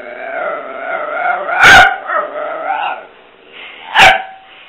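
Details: Pet dog during play, making a long, wavering, harmonic moaning 'talk' that rises and falls over several seconds, broken by two sharp barks, the second near the end.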